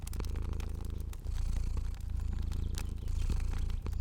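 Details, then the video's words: Fluffy cat asleep and purring, a dense low hum in short inhale and exhale phases, with sharp fire crackles popping throughout. "Cozy Purring Cat & Crackling Fire Sounds"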